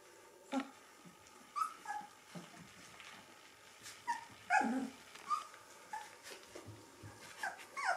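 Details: Gordon Setter puppies, three weeks old, cuddling together; short soft yips and whimpers scattered irregularly, each a brief squeak, with quiet rustling between them.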